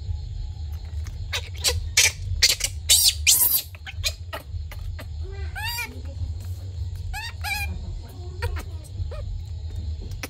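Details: Baby monkey hungry for milk at night: sharp clicking bursts, then several high, wavering squeals rising and falling in quick arched sweeps, over steady low hum, followed by Vietnamese speech.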